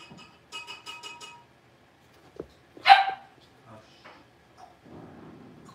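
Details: Six-week-old blenheim Cavalier King Charles Spaniel puppies from a litter of five in an indoor puppy pen. A quick run of short, clear harmonic yips comes first, then one loud sharp yelp, followed by faint scattered noises.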